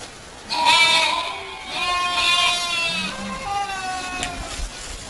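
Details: Domestic goat bleating: three wavering, nasal bleats in quick succession, each about a second long and rich in harmonics, with faint background hiss.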